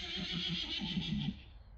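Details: Friesian horse giving a short whinny: a quick run of shaking, pulsed low notes lasting about a second and a half before it fades, over a steady hiss of higher-pitched background noise.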